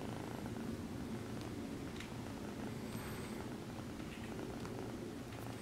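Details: Female exotic shorthair kitten purring softly while kneading her human after being petted; steady low rumbling drone throughout, with faint rustling and a brief high whine near the middle.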